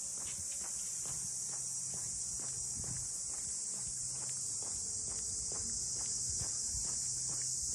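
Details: Steady high whirring of cicadas at Ine's waterfront boathouse district north of Kyoto, a continuous sizzling wall of sound, with regular walking footsteps clicking through and a soft low background hum.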